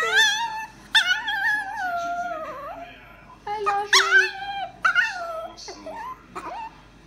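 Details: Pet chihuahua learning to talk, a female, giving drawn-out whiny yowls that slide up and down, several separate phrases in a row, with a person repeating "I love you" between them.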